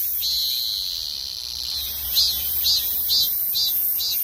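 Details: Cicada singing: a shrill, high buzzing drone that breaks into short pulsed bursts repeated about twice a second, with a faint low hum beneath.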